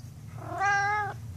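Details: A house cat telling its owner off in a daily ritual: a single drawn-out, steady meow of about half a second, full of bright harmonics, rising in loudness then cutting off, with the owner's voice around it.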